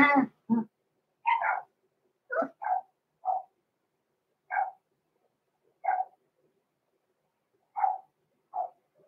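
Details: Six-week-old blenheim Cavalier King Charles Spaniel puppies, Roman and Blue, born November 14, 2022, in an indoor puppy pen. About ten short, yappy barks come at uneven intervals. The first two are lower and rougher, the later ones higher and clipped, with quiet gaps between.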